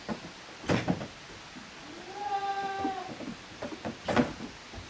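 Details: Goat kids, offspring of Koharu and Okayu, playing in two teams on the exercise ground of a handmade goat farm on 13 June 2023. A single wavering, nasal bleat of about one second, with thumps and knocking before and after.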